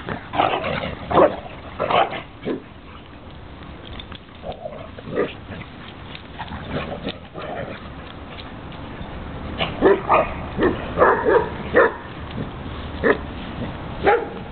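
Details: Two dogs at play, a foster dog rolling a Basset Hound over like a beach ball; short grunting, growly bursts come in irregular clusters, roughly eighty per minute, with scuffling in between.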